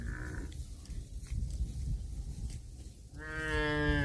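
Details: A cow eating grass starts a loud, clear moo after a stretch of low rumbling and chewing-like noise, the call rich in harmonics and still rising as it cuts off.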